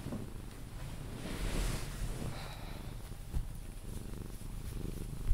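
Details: Sphynx cat named Pepe purring while being cuddled indoors, purring until it falls asleep; a steady low rumbling purr runs throughout, with soft rustling and faint clicks of handling above it.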